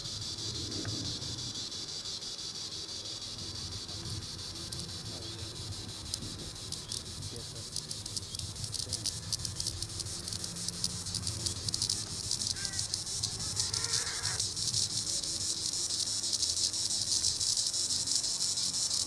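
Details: Tibicen linnei, the green annual cicada, up in the treetops, holding a continuous shrill buzz that slowly swells louder over nearly twenty seconds, with quiet low rumbling in the background.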